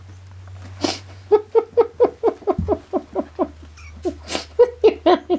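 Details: Three-week-old kittens running around indoors give a rapid run of short, high, squeaky mews, roughly two per second, each slightly falling in pitch, with two breathy hiss-like bursts between them.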